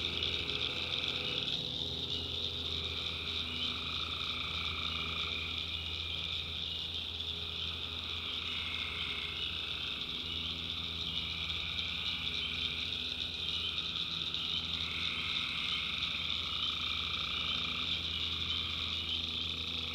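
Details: Night chorus of tree frogs in North Carolina backwoods swamp: many overlapping high trills forming a constant wall of sound, some voices starting and stopping every few seconds, over a low rumbling drone.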